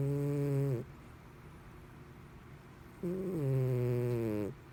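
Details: Sleeping house cat Mr Whiskers snores in a human-like way, two loud droning snores with a slight downward slide in pitch, separated by about two seconds of quiet room tone.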